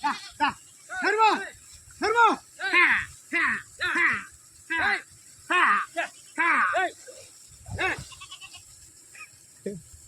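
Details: Sheep being bathed bleat repeatedly in short, wavering bursts, about one every half second to one second. Steady high background hiss runs throughout.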